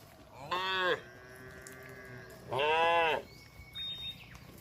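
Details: A herd of tame cattle wandering along a road while being herded; two strong, harmonic moos about two seconds apart, with a long faint tone between them and a brief whistle-like sound at the end.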